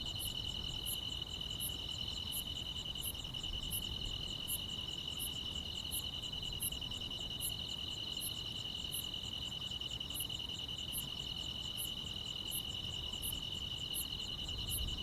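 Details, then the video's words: Chirping grass insects on a summer night: an unwavering high buzz forms the backdrop as rapid, evenly spaced sharp chirps repeat near once every 0.7 seconds across the whole stretch. "여름밤의 포근한 풀벌레 소리"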